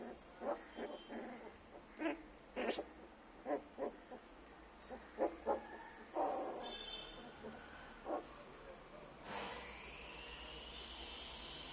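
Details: 21-day-old native-breed puppies that have just learnt to bark give short, high, squeaky barks and yips, repeated in uneven bursts.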